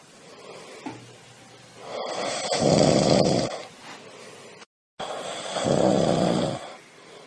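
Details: Snoring of a sleeping cat, two long rough rasps each lasting over a second and separated by softer airy breaths, evenly paced.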